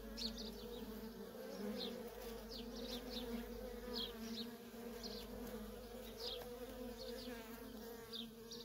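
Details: Nonstop flight traffic of worker honey bees at a wild feral colony: an even, thick humming drone of overlapping wingbeats, dotted with many brief high-pitched chirps.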